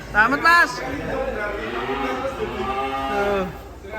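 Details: Enraged cow that broke loose from its pen and sank into sucking mud, nearly dying; a drawn-out, low, steady moo lasting about three seconds follows a short loud burst, with men talking nearby.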